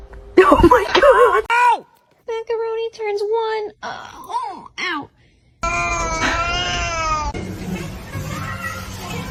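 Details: Domestic cat meowing in a funny cat compilation: a run of short, arched, tonal meows, each rising then falling, about four in three seconds. Loud human speech and exclamations come before them and a noisy, cluttered stretch follows.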